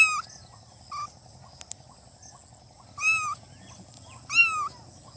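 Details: Newborn kittens meowing: short high mews with a rising then falling contour, three main calls spaced over five seconds with a faint softer mew between; steady high-pitched background hiss and low hum throughout.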